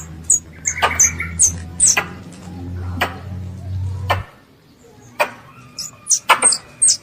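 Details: A young squirrel calls its mother with sharp, high squeaks in short bursts.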